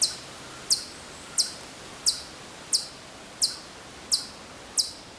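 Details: Distant Hokkaido chipmunk at Maruyama in Sapporo, Hokkaido, recorded September 2014, giving eight bright, very high chip notes at a steady pace of roughly one every 0.7 seconds over a quiet background.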